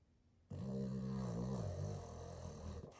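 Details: Boston terrier sleeping, producing a single sustained, low, droning snore with a steady humming tone. It lasts about two and a half seconds and sags slightly in pitch toward the end.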